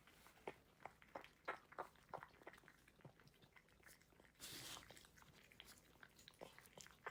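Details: Dog eating its food, unedited: a rapid run of sharp crunching clicks from chewing kibble, several per second and irregular, with a brief louder rustle in the middle and a quiet background.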